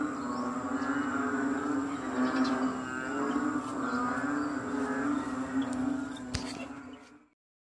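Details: Frogs croaking en masse during rain in Kadaruhan, 6 am, May 22, 2022. Overlapping low croaks form a steady rolling drone, a sharp click near the end, then the sound cuts off.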